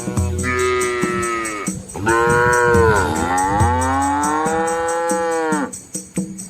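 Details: Red Asian village cattle crossing a small flowing river alongside their calves: drawn-out, strongly harmonic lowing, one long moo bending down and then rising again, over steady low background tones.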